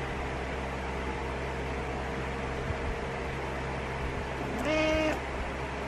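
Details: ['Morning wake-up demand from Butters the cat: after a long stretch of quiet room hum, one short, level, nasal meow near the end.']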